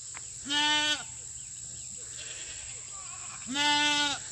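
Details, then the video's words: Fainting goats on a country farm on a treat day with fresh cut grass, loud goats calling: two strong, nasal, harmonic bleats about three seconds apart, each lasting roughly half a second, over a steady high background hum. "Loud Goats & 1 almost faints."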